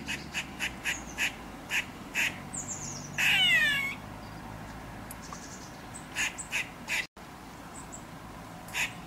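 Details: Female grey squirrel calling in alarm from a radio transmission tower near her drey because a domestic cat is present. Quick sharp chucks repeat about every half second, broken by one drawn-out descending moaning whine.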